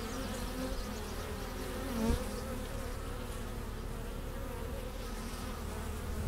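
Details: Honey bees bringing pollen and nectar into their hive in April 2015. A soft continuous low drone of many bees, with one closer buzz rising briefly just after the second second.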